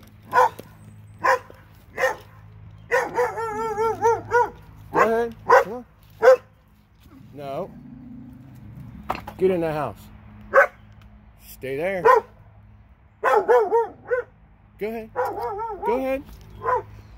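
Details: Two dogs in Alabama barking and baying in bursts: short sharp barks mixed with long wavering, quavering howls, spaced irregularly with brief pauses, over a low steady hum.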